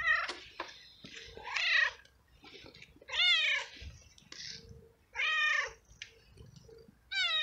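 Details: Stray male cat in heat calling for a female and begging food in a garden; repeated loud, drawn-out meows roughly every one to two seconds, each rising then falling, with soft shorter mews between and faint low background noise.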